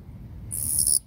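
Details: A male long-winged katydid sings from a grass stem in a meadow, giving a short, dry, high-pitched buzz that stops abruptly. It falls silent when it senses people nearby.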